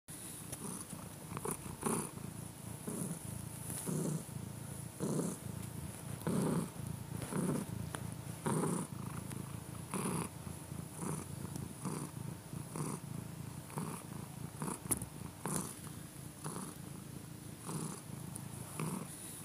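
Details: A cat purring in a steady rhythmic beat: low, rumbling pulses roughly once a second, each breath cycle a soft burst of throaty vibration, continuing evenly throughout with a faint background hiss.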